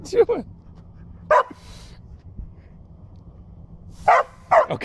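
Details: Puppy barking while facing off against a push broom: short sharp barks near the start, another alone mid-clip, then a quick pair near the end, with a person's encouraging voice and quiet household background.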